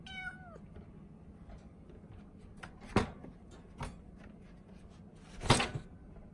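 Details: Caged four-month-old female Norwegian Forest Cat called Ren, talkative and affectionate, lets out a short falling meow at the start, followed by several loud knocks or bumps against the cage and quiet indoor background.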